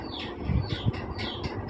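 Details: Newborn Persian kittens, part of a litter of five just born to the cat Chaki, give thin, high, falling mews, about four in quick succession, with a low indoor rumble beneath.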